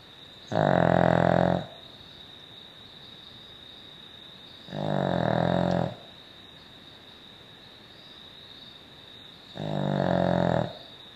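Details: Poppy, a Cavalier King Charles Spaniel, snoring in three rough, buzzing breaths, each about a second long and spaced roughly four seconds apart, with quiet pauses and a faint steady hum between them.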